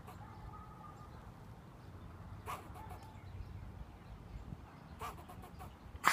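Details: Squirrel barking at a person sitting outside, giving two bursts of clipped barks, each a strong note followed by a rapid run of softer repeats, against low background rumble.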